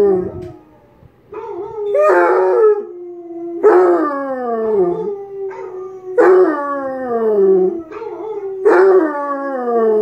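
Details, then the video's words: Howling Basset Hound, Tank, producing a rhythmic series of yelp-led howls about every two to three seconds, each gliding downward over a steady lower droning tone. "Tank howls"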